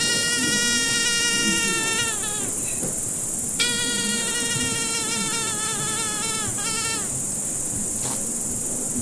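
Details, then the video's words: Buzzing fly in repeated bouts of a few seconds, each droning tone sliding downward at its end before pausing, with a steady high-pitched hiss throughout. "Звук мухи. Жужжание мухи."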